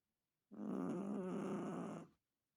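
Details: A single drawn-out, rattling snore from a Chihuahua, slightly wavering in pitch, lasting about one and a half seconds in a quiet room.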